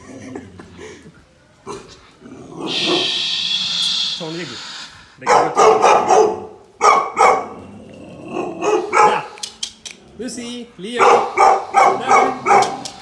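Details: Tibetan Mastiff puppies barking at a Bluetooth speaker as if it were alive, bursts of sharp yappy barks in quick runs, with a hissing burst and some speech-like sound from the speaker.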